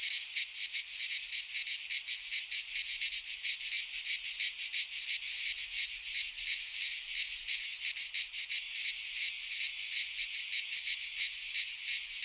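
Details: A midsummer chorus of cicadas in a pine forest in Greece. A shrill, grating drone throbs roughly three times a second and holds unbroken to the end, with only faint low rumbles beneath.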